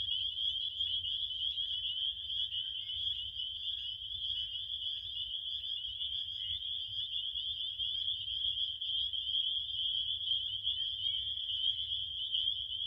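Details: Crickets chirp in a dense, unbroken chorus: a steady high shrill trill that holds one pitch throughout, with a faint low rumble underneath and no other clear sounds.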